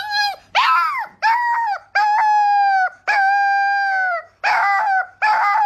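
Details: Adorable puppies howling together: a string of clear, tonal howls, some steady and some rising then falling, each lasting half a second to over a second with brief gaps between.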